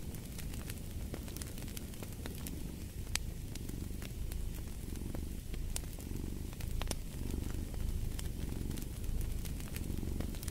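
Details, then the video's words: Cat's purr rising and falling in slow waves, roughly one swell per second, as in and out breaths, beneath frequent popping fireplace crackles. "Purring of a Cat"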